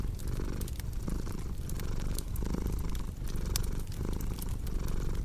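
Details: Domestic cat purring steadily, a deep low rumble that swells and fades with each breath about once per second, mixed with sharp crackles and pops from a cozy fireplace.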